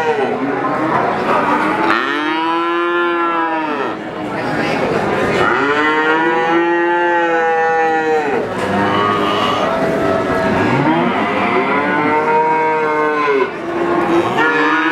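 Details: Young calf calling again and again, four or five long harmonic moos that arch upward and sink, each around two seconds, with faint background murmur between calls.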